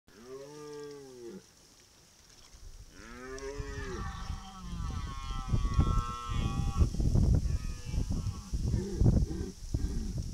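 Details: An all-female red deer herd of hinds visits a waterhole at Klepelshagen, Mecklenburg-Vorpommern, in September 2019, curious about the trail camera. They give low, nasal, moo-like calls, followed by splashing and trampling.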